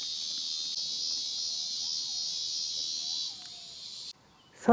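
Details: Cicadas singing in July on a mountain trail at Kumajo-san, Oasa, Kitahiroshima, Hiroshima, Japan, on 18 July 2021, after early rain at about 1000 m. A steady, high buzzing drone lasts over three seconds, then cuts off, with faint bird whistles.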